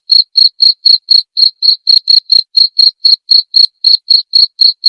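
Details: Steady cricket chirping meant as master audio for cage birds and therapy: sharp high-pitched pulses repeated roughly four times per second without a break across the whole stretch, no background noise.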